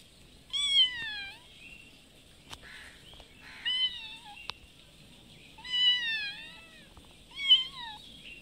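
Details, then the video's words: Cat mother asking for food on her twice-daily visit, giving four clear drawn-out meows roughly every two seconds, each bending downward at the end, with a couple of sharp clicks between them. "Kitten mother meowing asking for food."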